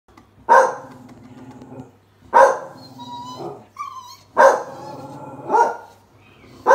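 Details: Blue Staffordshire Bull Terrier, said to have been raised by cats, giving four loud harsh howling or barking bursts, each starting sharply and trailing off over about a second, with a thin whistled tone between them.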